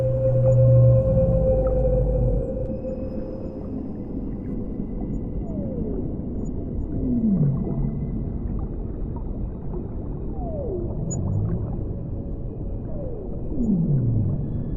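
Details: Whales singing underwater, giving low drawn-out moans and several clear descending swoops spaced a few seconds apart, with constant deep ocean rumble and gurgling behind them.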